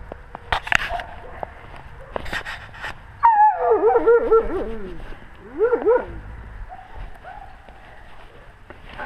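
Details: Wolves with the pack, captured on a GoPro camera at wolf level: scattered knocks, then a burst of wavering, falling whines and a second short wobbling howl, over a soft background.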